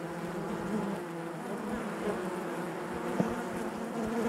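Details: Honey bees within a hive produce an even, dense buzzing wash, broad and hissy with a faint low hum beneath, nearly constant in loudness apart from a single sharp tick past three seconds.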